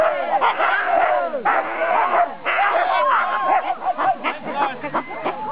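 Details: Four-dog Siberian Husky sled team at a race start, 2008 NSW Siberian Husky Club Sled Dog Shield, Grabine Lakeside Park; overlapping high yips, barks and whines from several dogs, with a voice heard among them.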